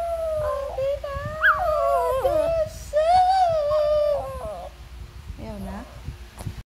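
A Shih Tzu gives a drawn-out, sing-song howl, its voice wavering up and sliding back down. A second howling phrase follows, then a short, low whine at the end.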